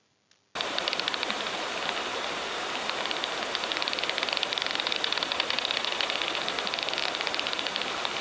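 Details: A Daubenton's bat flies fast over a river hunting insects, heard through a heterodyne bat detector. After a brief silent start, dry, rapid echolocation clicks tick in a dense, steady stream over constant hiss.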